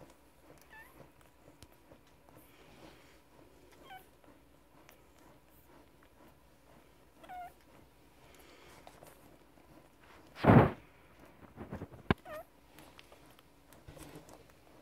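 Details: Newborn Grand Basset Griffon Vendéen puppies from one litter, only minutes old. Faint, high, thin squeaks and whimpers come every few seconds over a quiet room. One loud rustling bump comes late in the recording.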